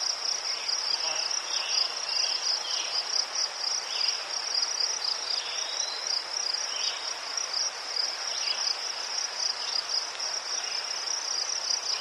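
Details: Crickets chirping in Ukraine by chrysanthemums: an unbroken high, rapidly pulsed trill carries across, while softer lower chirps from other insects pop in now and then.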